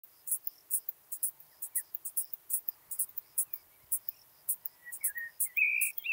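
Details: Curve-tailed plump bush-cricket at Hohenbrugg an der Raab, Austria, on 4 June 2021, singing: short, very high, hissy ticks repeated about twice a second at an uneven pace, with a few faint chirps from other insects in the background.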